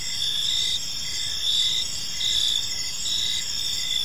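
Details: Several crickets calling in a park at evening, bright high-pitched trills pulsing roughly once a second in short bursts, overlapping voices, quiet low hum underneath.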